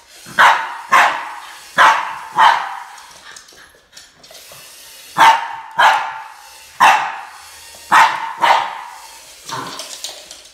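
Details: Boston Terrier named Max barking while confronting a snake: sharp, loud barks, often in quick pairs, about nine in ten seconds, with short pauses between bursts and faint background noise.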